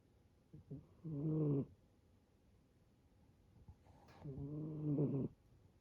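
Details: Young male brown tabby-and-white rescue kitten snoring like an old man: two long, low, grating snores about three seconds apart, each lasting around a second, with quiet pauses between.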